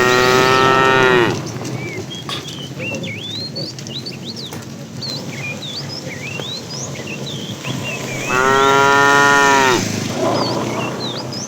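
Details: Afternoon herding of tame cattle; a fat cow calling the female gives two drawn-out, deep harmonic moos about seven seconds apart, while many small birds chirp and twitter throughout.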